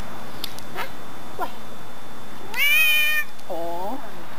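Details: A neighbor's male house cat, recorded September 18, 2013, lets out a single strong, bright meow lasting under a second, followed by a woman's low drawn-out 'aw'; faint speech earlier.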